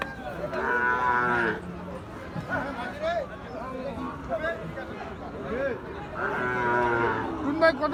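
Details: Cattle at Ambari market, a livestock haat held Fridays and Mondays where Gir and Sahiwal bull calves are traded. Two long, harmonic, nasal moos open and close the stretch, with bargaining voices, crowd chatter and background music between them.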